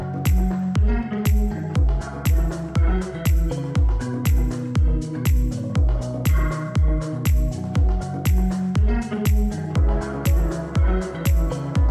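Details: A steady electronic dance track with a regular pounding bass beat at about two beats per second; no animals can be heard.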